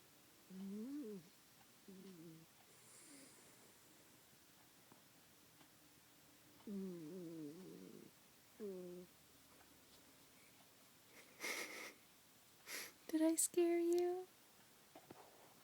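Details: Minnie, a pet cat sleeping in a person's arms indoors, gives buzzy, low harmonic snore sounds in short bursts with gaps, followed near the end by sharper, louder noises and brief high bursts.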